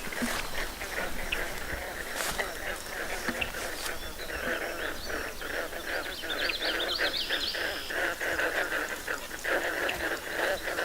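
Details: A dense frog chorus of rapid, overlapping pulsed calls from a swamp at Otonabee Gravel Pit Conservation Area near Keene, Ontario, in a rainy late spring or early summer, with a man speaking over it.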